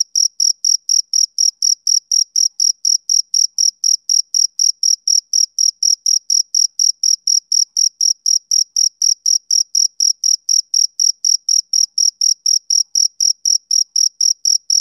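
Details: On a summer evening a male cricket keeps up rhythmic, shrill chirps, roughly four each second, each a brief trilled pulse at a constant high pitch, with no other sounds.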